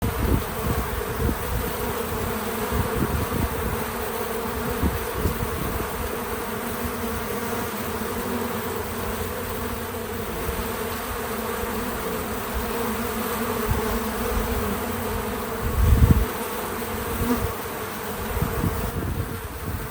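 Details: Bees visiting a feeder, recorded with natural sound: a steady low droning buzz with dense energy in the low range throughout, a brief louder thump near sixteen seconds, and no music or voices.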